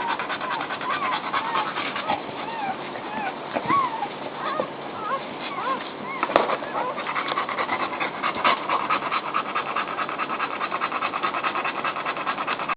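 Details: Mother dog getting comfortable with her newborn puppies; short squeaky puppy whimpers bend up and down in the first half, then rhythmic breathy panting and rustling dominate, with a sharp knock midway.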